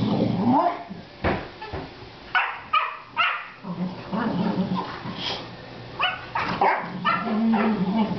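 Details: Three excitable Boxer dogs at home; short, sharp barks scattered irregularly through the recording, mixed with whining yips and background noise.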